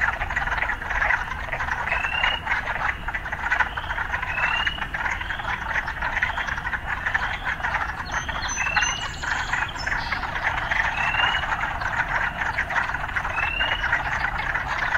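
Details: Frogs in an urban setting, mixed with occasional city sounds: a dense, continuous croaking chorus with short rising chirps repeating every second or two over a steady low rumble of distant traffic.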